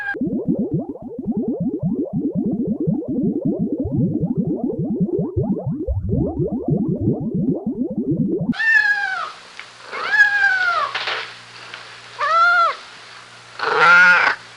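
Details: Kittens at play on grass: after a long stretch of dense, rapid low pulsing, a run of clear, arched meows begins, each rising then dropping in pitch and repeated about every second, ending on a louder, longer cry.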